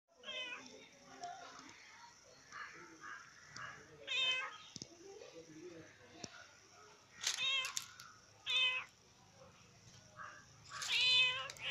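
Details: A black and white female cat, said to always hate having her photo taken, gives repeated drawn-out, wavering meows, several loud ones spaced a few seconds apart, with a person talking softly between them indoors.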